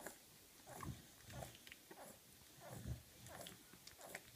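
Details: Puppies around two weeks old give soft, low grunting sounds in short bursts about every half second to second, with faint squeaky notes mixed in over a quiet background.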